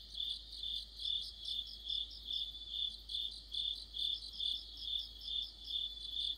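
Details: Deepening autumn sounds: crickets with other insects in a chorus by a streetlight, a piercing sustained trill and layered chirps swelling in steady waves about every half second.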